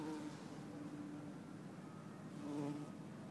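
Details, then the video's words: Bumblebee in Lisbon, 4 December 2011, possibly Bombus hortorum or Bombus terrestris. Two short bursts of low humming buzz, at the start and near the end, over a quiet background hiss. "Bombus Hortorum ou/or Bombus Terrestris ? - Bumble Bee"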